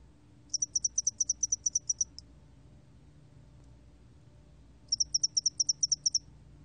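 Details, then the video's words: Two separate bursts of shrill, rapidly repeated chirps from a spotted-wing hairy cricket, 2020 National Institute of Biological Resources recording, each lasting one to two seconds with a long silent pause between over faint background hum. "점날개털귀뚜라미, 여러번 듣기, 곤충소리"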